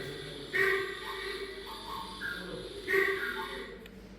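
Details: A recorded sambar deer call played at the Jim Corbett Museum, India: two loud, abrupt, nasal ringing honks about two and a half seconds apart, echoing in an indoor room.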